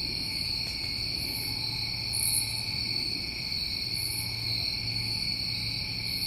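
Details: Crickets on a New England summer night, a steady chorus of unbroken high trilling at two pitches, with brief hissy pulses far above repeating about every second and a faint low hum underneath.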